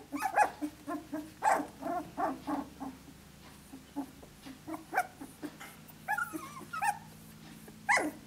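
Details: Australian Shepherd pups at 17 days of age, playing with each other: short gruff puppy barks and grunts roughly once a second, followed by higher whining yelps toward the end over a low steady hum.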